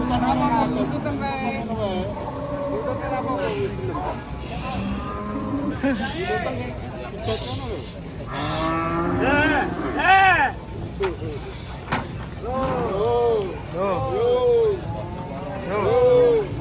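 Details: Thin, bony cattle taken to market, lowing in a series of arched, rising-then-falling harmonic moos amid overlapping human voices, clapping and background music.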